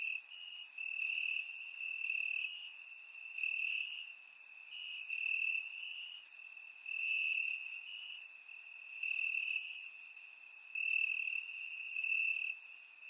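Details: Several crickets sing among the grass after dark on a warm summer night in Bulgaria; a dense, shrill pulsing trill at one steady pitch, rising and falling in loudness every second or two, no other sounds.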